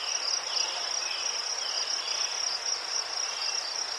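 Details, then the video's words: A chorus of crickets in Ukraine keeps up a dense, high, continuous trill with slight rhythmic pulsing. "Заспокійливий звук цвіркунів//The soothing sound of crickets"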